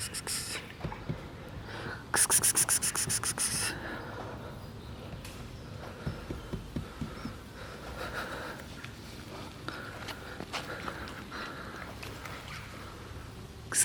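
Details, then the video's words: Coughing black cat with one bout of about a dozen quick, dry, hissing hacks lasting over a second, followed by softer breathing and rustling in a quiet room. "Cute black cat coughs"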